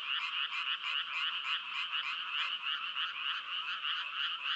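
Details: Frogs croaking in a dense, continuous chorus: buzzy, pulsed notes repeated about three to four times per second, steady and unbroken throughout, with no other clear sounds.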